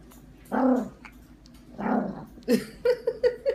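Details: A 5 lb Yorkshire terrier growls while eating, in two low, rumbling bursts followed by a quick run of short, higher grunts.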